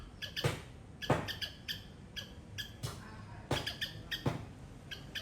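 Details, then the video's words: Garden squirrel in Sri Lanka calling loudly: clipped, bright chirps at a rate of about one and a half per second, interspersed with dull thumps and rustles close by. "Loud Squirrel sound"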